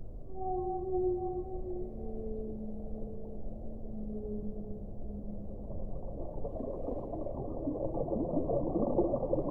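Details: Whale voices: a sequence of clear, drawn-out tones at several pitches overlaps and glides in the opening seconds, then gives way to a broad, noisy rumble that swells toward the end.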